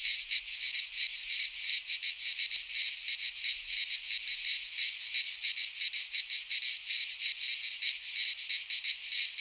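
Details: Greek pine forest in midsummer filled with singing cicadas, their harsh high-pitched drone throbbing in quick regular beats over the whole stretch, nothing else audible.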